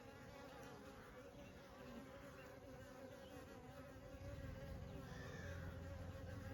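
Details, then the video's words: Honey bees in summer, a dense continuous droning buzz with a low hum and steady layered harmonic bands, growing noticeably louder and fuller after about four seconds, as if many bees were working close by. "sound effects honey bees in summer"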